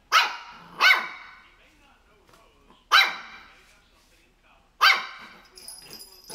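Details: Three-month-old Shih Tzu puppy barking at crocs: four sharp, high yappy barks, a quick pair then two spaced singles, with a faint high whine at the end.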